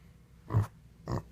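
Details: Indoor mini pig, woken by noises in the kitchen and upset at having no food, grumbling: two short, deep, throaty grunts about half a second apart, in a quiet small room.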